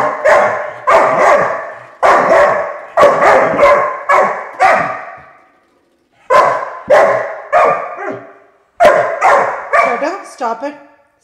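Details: Irritated by a door stopper's sound, five-month-old pet puppy Chotu lets off a run of sharp, harsh barks in quick groups of three to five, with short silent gaps between the bursts.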